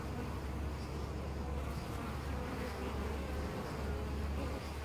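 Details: A wild European honey bee colony nesting in a tree hole at Costanera Sur Ecological Reserve, taped ten centimetres away: thick, even droning hum over a strong low rumble, steady throughout.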